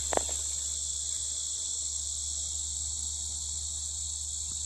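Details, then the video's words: Insects calling so loudly that little else can be heard, a continuous high-pitched, steady shrill buzz with no pauses throughout, over a constant low hum in the background. "Insanely loud Insect Sounds"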